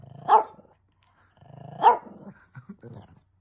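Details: Hanimaru, a family's pet Shih Tzu, barks twice, about one and a half seconds apart, each bark loud and abrupt, followed by softer grumbling sounds. Recorded at home in May 2023.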